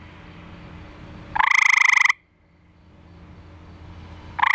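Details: Eastern gray treefrog (Hyla versicolor), a male from a backyard pool, calling for a mate after being set down, filmed by flashlight. One rapid pulsed trill lasting under a second, a faint hum, then the next trill just beginning.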